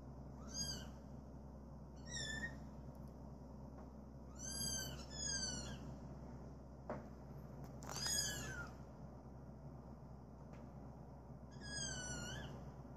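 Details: A male cream British Shorthair cat, born 21 January 2017, gives a series of short, high, falling meows every couple of seconds.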